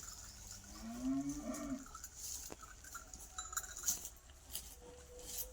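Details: Native village cow that has just given birth to a calf, licking the newborn: a low harmonic moo rising then holding steady for about a second, with faint background sounds and brief high clicks.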